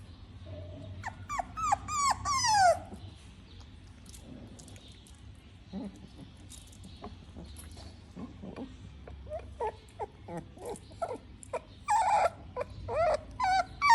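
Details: Pug puppy crying while eating: a few high sliding whines early on, then scattered short clicks and chewing sounds, with a burst of harmonic whimpers near the end.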